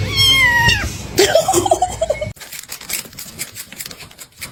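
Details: A pet cat, called jealous, lets out a falling meow in the first second, then a burst of quick chirpy sounds, before the recording turns to scuffling noise and faint voices.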